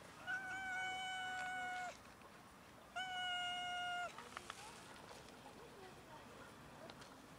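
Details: Cats from a large colony living by a dumpster and feeding from it; two long, steady meows with clear harmonics, each lasting over a second, about a second apart, then faint rustling and background noise.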